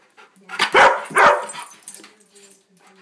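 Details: A pet dog at home gives two short, loud, harsh barks in quick succession, followed by softer whimpering noises and a faint low hum in the background.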